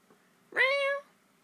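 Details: A pet cat that never seems to stand still, indoors, gives a single clear meow of about half a second, starting with a sharp onset and holding a steady, harmonic-rich tone before stopping abruptly; quiet room otherwise.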